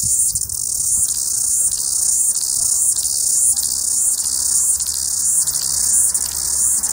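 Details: Cicada; song; males calling to attract females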